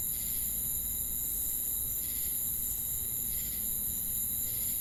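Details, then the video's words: Among crickets and cicadas, faint pulsed chirps repeat about once every second and a quarter beneath a dominant steady high-pitched drone, with a dull low rumble behind. "Crickets & Cicadas Chirping Sounds!"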